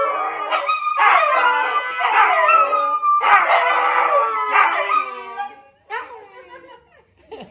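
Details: Several huskies howling together as they sing with a 93-year-old grandma. Loud overlapping howls swell and waver for about five seconds, then fade into softer short yips and whines.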